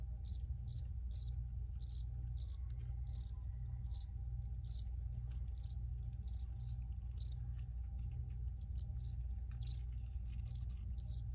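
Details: Recorded crickets giving brisk high-pitched chirps in clustered bursts, often two or three close together, set against a constant low droning background.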